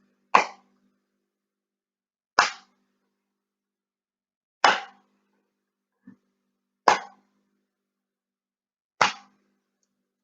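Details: Five sharp, dry knocks or clicks spaced about two seconds apart, with one faint thump near the middle and silence in between.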